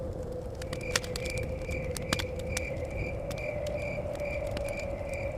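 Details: Crickets chirping outside a forest cabin, a thin high tone pulsing in short regular bursts behind loud crackling fire, sharp pops, and a steady low hum with blowing wind.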